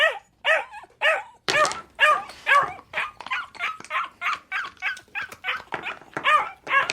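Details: Dog barking in a fast, uneven string of about seventeen short, high-pitched yapping barks over seven seconds, each bark bright and harmonic-rich with a slight downward bend, with a louder, harsher bark near the start.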